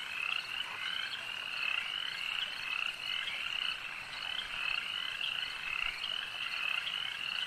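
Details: Frogs calling at a lake form a thick chorus of bright, grating trills, with individual calls pulsing through the mass roughly every few seconds and keeping a constant level throughout.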